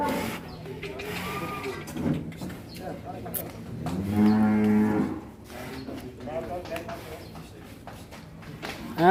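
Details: Loose cow rampaging before being caught by a child, a long low moo with stacked harmonics rising and holding for about a second, amid people talking, clattering and scattered knocks.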